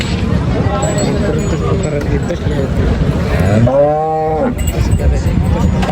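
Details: Bullock at the Salegaon bullock market in a busy livestock bazaar: a single moo of under a second that rises and then falls, heard through a constant roar of crowd chatter and market noise.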